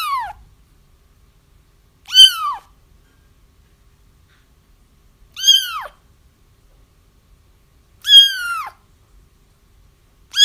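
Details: Kittens crying, used to help trap a feral mother whose kittens were already found; high arched mews, each falling at the end, repeated about every three seconds in an otherwise quiet background.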